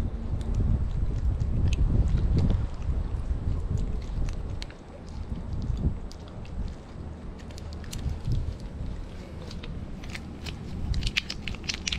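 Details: Heavy low wind rumble and boat or water noise fill the recording, with scattered sharp clicks and knocks and no animal voice.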